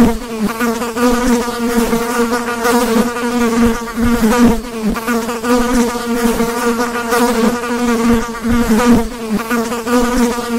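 A fly drones with a steady, low buzz that swells and fades slightly as it moves.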